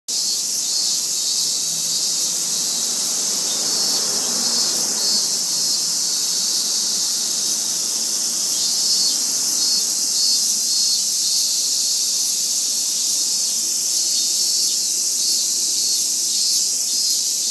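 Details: Cicadas sing a continuous, shrill, hissing drone that holds steady without a break, recorded in Japan at 3 pm on August 22, 2017.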